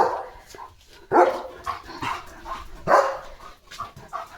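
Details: German Shepherd named Leo at home during Diwali celebrations, near a rangoli and hanging lantern, gives two strong barks about two seconds apart while a woman speaks over the background.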